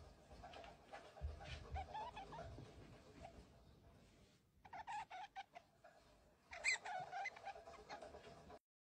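A stoat gives bursts of squeaky, chattering chirps, inviting play.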